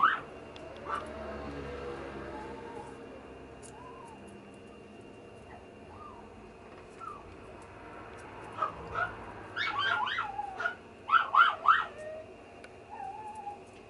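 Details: A red female teacup poodle, a confirmed teacup-size dog, is mostly quiet with a few faint soft whines, then breaks into a cluster of sharper, high whimpering yips near the end.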